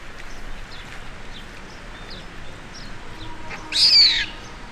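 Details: Baby baboon, scared and intimidated by the group's larger male, gives one short, shrill, high-pitched scream near the end after a quiet stretch. Faint bird chirps sound in the background throughout.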